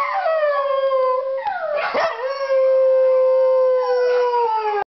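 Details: Pembroke Welsh Corgi howling: a long, sustained, tonal wail with rich overtones that wavers and dips briefly in the middle, then holds steady and falls slightly at the end, about five seconds.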